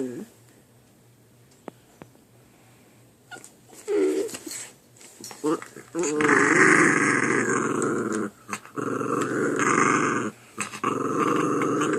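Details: Two puppies fighting over a chew indoors, low rough growls in long noisy bursts from about six seconds on, with brief quieter growls earlier.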